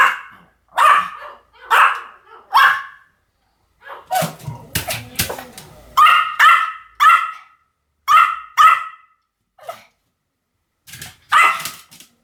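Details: A Pomeranian yaps repeatedly, sharp high barks coming in irregular runs of two or three, with a brief stretch of softer scuffling noise near the middle.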